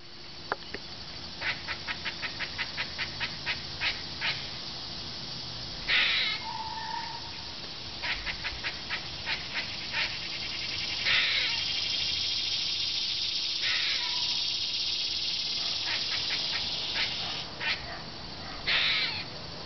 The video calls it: Squirrel sounds